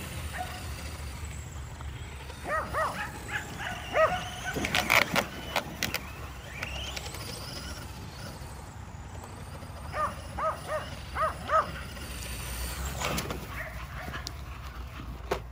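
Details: A pack of five Kerry Blue Terriers running after an E Revo remote-control car during exercise at home. Two groups of quick repeated barks are separated by a quieter stretch of vehicle whir and outdoor noise.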